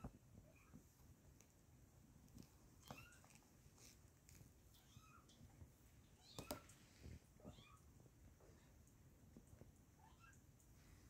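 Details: Kittens in a small indoor room, several faint high mewing calls scattered through, short rising-falling meows over a steady low background rumble and some clicking knocks.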